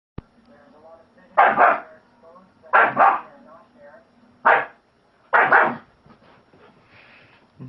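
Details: German Shepherd puppy, a male pet filmed on a phone, giving four loud, harsh barks at roughly one-second intervals, each a broad burst of noise, with a steady low hum beneath.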